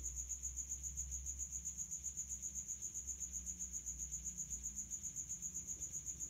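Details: Stridulating male common house cricket at high temperature, hidden in a resonant place: very regular piercing chirps, close to four per second, continuing without a break, with a low droning hum behind.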